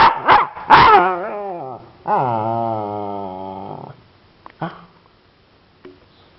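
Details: Husky puppy, lazy and not fetching, gives a drawn-out harmonic grumbling growl lasting about two seconds after a few short sharp vocal bursts, then brief faint yips; quiet indoor background.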